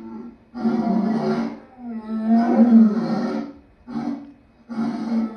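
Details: Lion vocalizing in repeated loud, grating roars, one long drawn-out bellow in the middle flanked by shorter bursts, deep and raspy with brief silences between.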